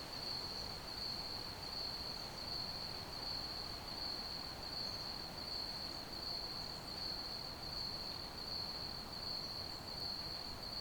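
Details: Crickets chirping as ambient night sound for sleep: a steady, high, thin trill that pulses gently about eighty times a minute, laid over a soft, even hiss of low rumbling background noise.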